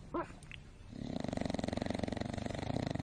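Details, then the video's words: Domestic dog snoring, a short squeaky sound first, then a fast rattling snore of regular low pulses, roughly two per second, continuing through the rest of the recording. "Snoring dog so funny, Very vivid"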